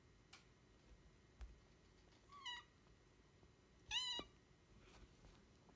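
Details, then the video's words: Attention-seeking Devon Rex cat giving two quick meows indoors, the first short and slightly wavering, the second louder with a falling end, plus light clicks and taps around them. "Devon Rex seeking attention"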